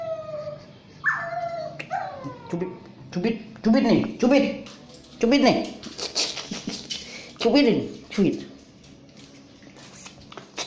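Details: Basuki, a mixed Shih Tzu and Yorkshire Terrier, whines in the bath: loud, repeated downward-sliding cries about once a second, rich in overtones, mixed with splashing and handling noises.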